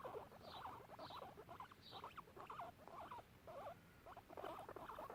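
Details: Two guinea pigs exploring a garden give quick, wavering squeaks and chirrups in rapid bursts.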